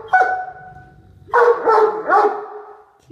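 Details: Indoors, a pet female Great Dane having dinner in her favorite chair growls to keep her brother from sharing it. A steady, drawn-out tonal note is followed by three quick, wavering, voiced bursts in close succession.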